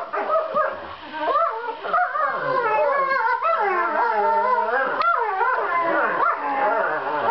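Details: Two seven-month-old borzoi puppies in fight-play, making sweet noises meant to show their snarling faces are not serious: continuous overlapping wavering whines, yips and howl-like moans, rising and falling like a duet.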